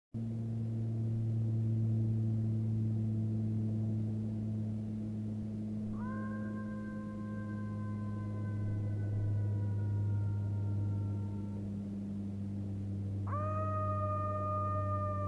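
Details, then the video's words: A jackal gives long, drawn-out, lonely wails on a very quiet evening, 14 October 2015, at Hanila, Läänemaa, Estonia; one wail slides slightly down, another swoops up then holds steady, with a high airplane droning in the background. "Very lonely and melanholic jackal call"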